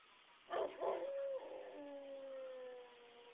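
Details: Pet dog howling in response to sirens, opening with two sharp yelping bursts that settle into one drawn-out, steady, gently falling wail of stacked harmonic tones.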